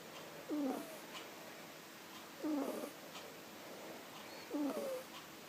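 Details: Sleeping kitten snoring, three rough rasping inhalations spaced roughly two seconds apart, each ending in a brief squeaky catch, with soft breathing between and a steady low room hiss behind.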